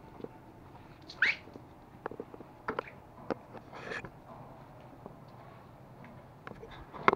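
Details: Toy Pomeranian puppies Pomo and Pomy playing and fighting in Kathmandu, Nepal, September 2017; one sharp rising squeaky yelp early on, followed by clicks, scuffles and brief softer noises, with a person speaking nearby.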